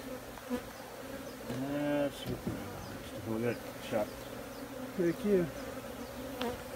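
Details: Continuous low drone of honey bees, the hum swelling and wavering in pitch as individual bees pass close, with occasional soft clicks and bumps.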